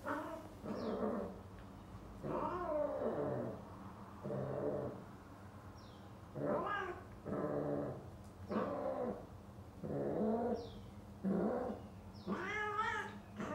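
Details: A male British Shorthair cat mating with a female gives drawn-out, wavering mating yowls in repeated bouts about a second long.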